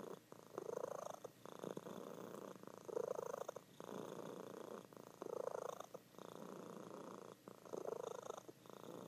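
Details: Loud purring from a sleeping female house cat indoors, longer drawn-out rumbling pulses of over a second each, separated by short breathing breaks.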